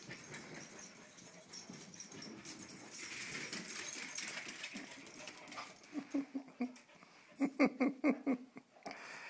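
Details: Two dogs, Helix and Ollie, playing wildly; a scuffling, noisy stretch ends in a run of short repeated whining yelps, about six quick pulses near the end.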